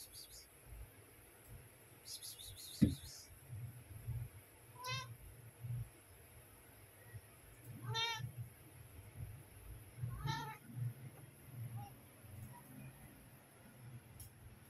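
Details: Domestic mother cat calling her kittens to feed them: three short, bright, wavering meows about every two and a half seconds, with a higher thin cry and a knock near the start over low rumbling background noise.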